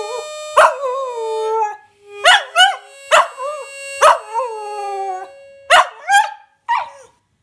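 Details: An 8-month-old Smooth Fox Terrier puppy howls along in short, wavering bursts over steady harmonica notes.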